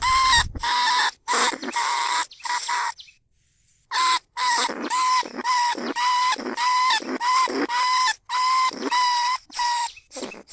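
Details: Lesser bandicoot rat held in a cage trap, recorded live in paddy fields at Na Lao, Nong Khu Phai, calling out to other rats. Rasping squeals repeat in a rapid, fairly even series, with a brief pause partway through.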